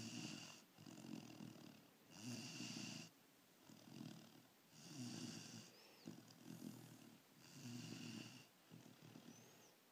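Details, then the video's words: Labrador Retriever pup Kaya snoring while asleep. Regular rasping snores come roughly every two and a half seconds, each a coarse throaty rumble mixed with airy hiss, with brief near-silent gaps between breaths. "Kaya the labrador pup snoring"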